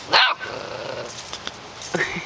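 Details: Puppies playing together, with a loud yappy bark at the start followed by quieter scuffling and a few short high yelps; a person's voice urges and encourages nearby.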